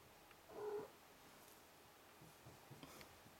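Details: Five-week-old Ragdoll kittens romping and playing, their mother Cherry nearby: one short, soft mew of about a third of a second, followed by faint rustling and light taps.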